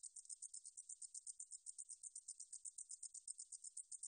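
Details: Katydid known in Korean as 등줄어리쌕쌔기, from a 2020 National Institute of Biological Resources recording. A steady series of very high, hissing, ticking pulses repeats about four times a second in an even rhythm.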